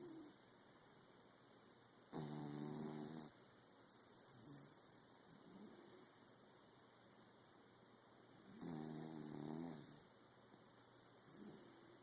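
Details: A sleeping corgi snores in low, buzzy rumbles, with loud snores about six seconds apart.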